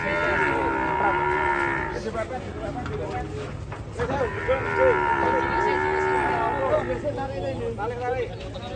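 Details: Enraged cattle unloading from a truck, bellowing two long, loud, strained moos, each roughly two to three seconds with rich harmonics and a wavering pitch, over steady background music.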